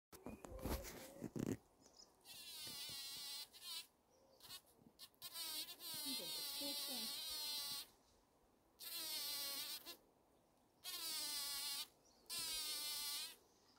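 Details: A female bumblebee buzz-pollinating a wild rose gives loud, high-pitched buzzing bursts, each about a second long, vibrating to shake pollen free to take back to the nest.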